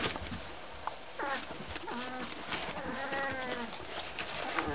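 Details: Magyar Vizsla puppies of the z Tuhnického lesa litter squeal and whine together: several overlapping high, wavering cries that rise and fall, some clipped short, against constant rustling and scuffling.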